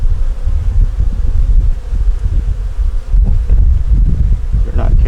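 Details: Honey bee nuc opened for a winter check, the bees struggling through the cold season. A dense, low, rumbling hum continues without pause, with a few soft clicks near the end.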